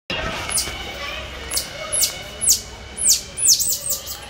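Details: Cotton-top tamarin in captivity at Franklin Park Zoo giving a series of very high, thin chirps, each sweeping sharply downward, coming faster toward the end, about nine in four seconds over a low background hum.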